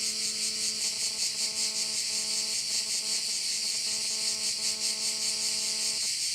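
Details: Crickets at a bay on Korčula, Croatia: a dense, high, shimmering chorus that pulses a little over twice a second, with a steady low tonal hum underneath that stops near the end.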